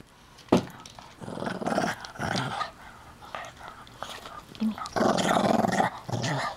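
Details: Puppy named Hiro growling indoors while guarding his chew toy from a person trying to take it; rough, noisy rumbling bursts in uneven clusters, with a person talking and coaxing between growls.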